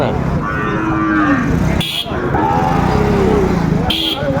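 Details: Sahiwal bull calf at a cattle market in Manikganj, Bangladesh, 30 December 2024: a low, drawn-out moo amid loud market bustle, bargaining voices and two sharp horn-like bleeps from passing traffic.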